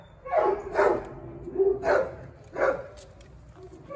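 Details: Huge black Great Dane giving four deep, loud barks spaced under a second apart, with a faint voice in the background.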